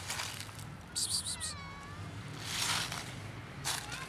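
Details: Food-begging meow from one of two socialized former near-feral cats, black and ginger-white: a brief descending meow midway, framed by bursts of rustling and clattering noise.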